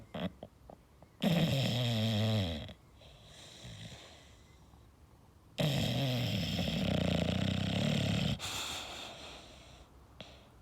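An English bulldog snores in long, rattling, low-pitched breaths, with quiet gaps between.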